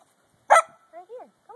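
A corgi complains with one abrupt, harsh yelp followed by several brief whining grumbles that bend up and then slide down. The protest comes while a person coaxes it to come.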